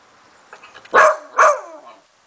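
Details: Beagle at seven in the morning, reacting to a singing treat jar it is investigating: two loud, short, harmonic yelping howls about half a second apart, preceded by faint softer sounds, with quiet surroundings.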